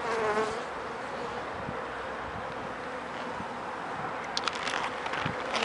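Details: Continuous low droning of a honey bee colony at an opened hive, checked for sickness after about four days of rain that left many dead, wet bees out front; faint crackling and rustling rise toward the end.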